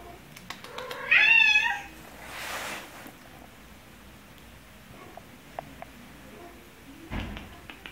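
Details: At the vet's office, a cat gives a single loud, wavering meow with a tremulous quality, followed by a breathy hiss-like rustle, then mostly quiet room noise with scattered small clicks and a thump.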